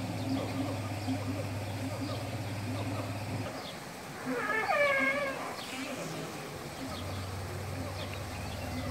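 An elephant gives a single brassy, wavering trumpet lasting about a second over a low engine-like hum.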